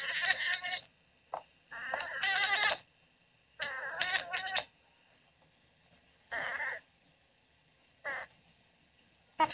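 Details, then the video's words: Daisy, a female Oriental Shorthair cat, talking in her sleep while dreaming: raspy, chattering bursts of murmured sound in irregular clusters about a second long, separated by quiet pauses. "Cute Cat Talking in Her Sleep"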